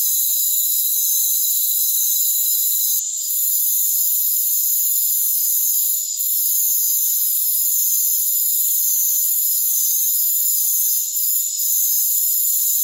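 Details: Rainforest crickets in a continuous high-pitched chorus, overlapping steady trills forming a thick shimmering drone, briefly dipping at about 3, 6 and 11 seconds before resuming at full strength.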